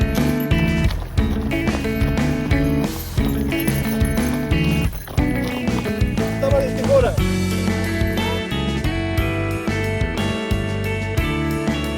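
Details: Loud upbeat music with layered instruments and a steady beat runs throughout, with a voice mixed over it and no distinct animal sounds.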